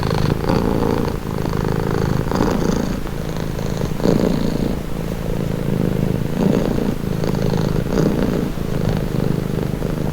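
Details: Continuous low, throaty cat purr with a soft rhythmic throb as breathing alternates, swells coming about every second or so; a few faint clicks and a quiet steady background hum beneath.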